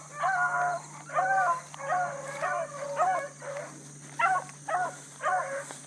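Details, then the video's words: Bluetick coonhounds on a hard-running rabbit chase at dawn, 22 July 2012, with a new pup learning; repeated drawn-out bawling bays, each note bending up then down, roughly one per second, over a constant high electronic hiss. "THE BLUE'S ON A BIG RUNNING RABBIT"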